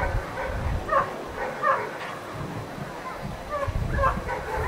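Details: Protection work at the NIAK 2015 trial: the dog Ivar vom Falorie lets out a few spaced, ringing barks about every half second to second, against heavy low-frequency noise and background voices.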